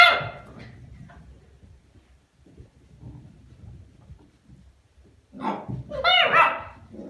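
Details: Cardigan Welsh Corgi puppies from a litter born 21 November 2019, indoors; soft low murmuring, then a burst of high yelping barks near the end, with a loud bark at the start.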